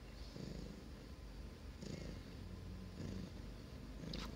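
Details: Grey Russian Blue cat, teething, indoors and chewing on a spoon after trying to eat a phone; a soft, low, continuous rumbling purr with gentle pulses swelling roughly every second, quiet against faint room noise.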